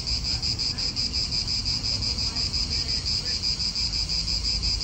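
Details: Cicadas in an Italian park, calling as a continuous high buzzing chorus with a steady pulsing shimmer about three times a second, over low rumble of wind and distant traffic.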